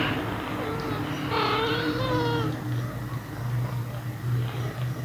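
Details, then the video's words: Pet cat with kittens at feeding time, one short rising-falling meow followed by a longer wavering meow, steady low hum running underneath throughout. "My pet Cat | kitten feeding"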